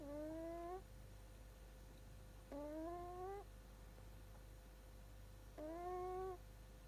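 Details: Sleeping Shiba Inu puppy snoring: three drawn-out, whistling, upward-sliding nasal tones rich in overtones, each under a second, spaced roughly two to three seconds apart, with a low steady room hum beneath.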